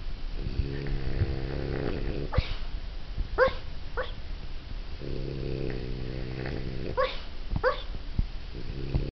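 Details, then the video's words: Sleeping French Bulldog having a dream, giving deep wheezy growling breaths with a few sharp yelping whimpers breaking through in pairs, then returning to low snoring. "Frenchie Dreams"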